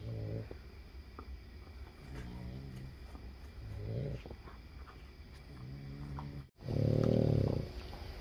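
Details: Boston Terriers, part of a group of seven sleeping together, snore in low rumbling breaths repeating every couple of seconds before being woken for breakfast.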